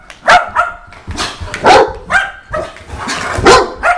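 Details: Repeated barking from a Saint Bernard: short, ringing barks about every half second to second, uneven in timing, each with a clear tonal core and noisy onset.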